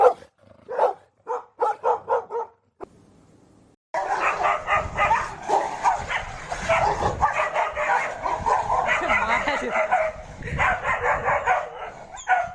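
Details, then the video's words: Fighting dogs: several sharp barks at the start, then a brief pause, followed by a long, dense, continuous stretch of snarling, growling and overlapping barks. "Tunog ng NAG-AAWAY NA MGA ASO | Sound of FIGHTING DOGS"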